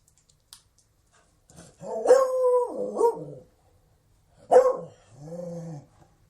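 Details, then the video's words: Beagle letting out a long quavering bay that bends in pitch, followed by a short sharp bark that trails into a lower mournful moan. "Sonido de un Beagle"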